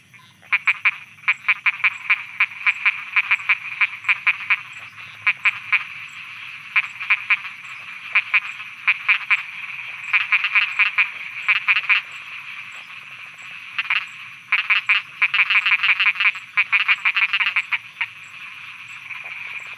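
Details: Dense nighttime frog croaking from Thailand: fast runs of rattling, clicky croaks in repeated bursts with brief gaps, steady thin high insect drone throughout.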